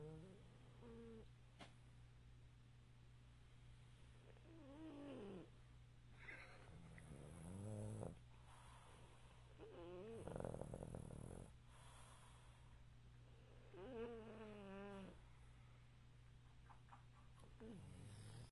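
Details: Chubby pug asleep sitting up on an indoor couch; wavering, nasal snores rising and falling in pitch, some gurgling and snorting, repeated every few seconds over a constant low electrical hum.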